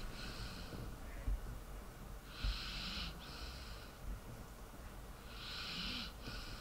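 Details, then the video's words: Sleeping dog snoring: airy, hissing breaths swell and fade roughly every three seconds, with a few soft low thumps between them in a quiet room. "Dog sleeping and snoring"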